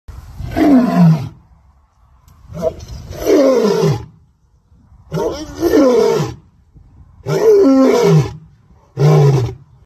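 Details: A big white lion roars: five long, deep, groaning bursts, each lasting about a second and falling in pitch, spaced roughly two seconds apart, with short breathy pauses between them.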